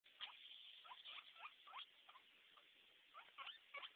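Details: Pet guinea pig making a run of short squeaky chirps, quick rising and falling notes bunched in bursts of two or three, fairly quiet over a steady background hiss.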